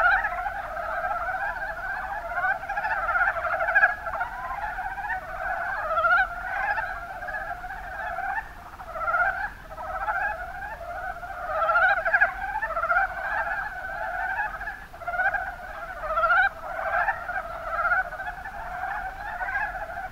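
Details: Kuma Basin, Kumamoto, Japan: a crowd of mountain brown frogs producing a continuous chorus of short, throaty, rapidly pulsed croaks, with distinct louder calls popping out around the middle and toward the end.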